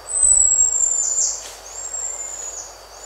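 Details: One long, very high, steady whistle from a buffy-headed marmoset, loudest at the start, then trailing on more softly with a slight dip midway. Recorded among birds and insects.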